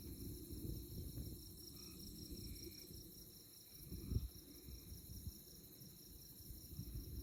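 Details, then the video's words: Moonlit night chorus of chirping insects in tallgrass prairie at Konza Prairie near Manhattan, Kansas: a continuous high shimmering pulse with faint short tonal notes in the middle, over constant low breezy rumble. "Insect Chirping Sounds"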